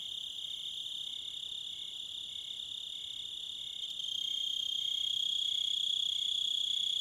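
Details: Crickets in a nature soundscape, a high, even trilling chorus that grows louder about halfway through and stays steady to the end.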